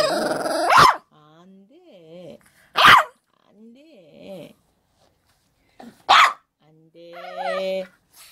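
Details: Shih Tzu indoors during a rehearsal for a broadcast: three abrupt, harsh barks spaced a few seconds apart, with quieter growling and wavy whining between them and a person talking nearby.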